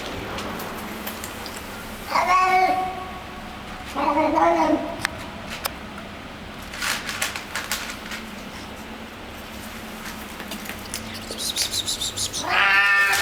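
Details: Street cat eating food in a building's garage basement, giving its odd 'happiness' noises: three separate harmonic whining calls spaced several seconds apart, with crackling chewing and clicking sounds in between and a low background hum.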